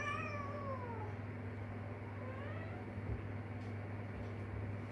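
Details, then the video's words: Kitten of a stray mother cat calling out for her: a long, falling, plaintive meow at the start, then a softer, shorter second meow, with a constant low droning hum and faint thuds behind. "새끼고양이가 엄마를 부르는 방법"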